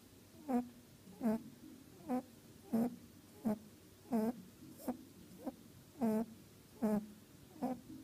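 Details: Sleeping after a long day's work, Mali the orphanage's greeting bunny snores in a steady rhythm of brief nasal snuffles, about one every three-quarters of a second, with nothing else audible indoors.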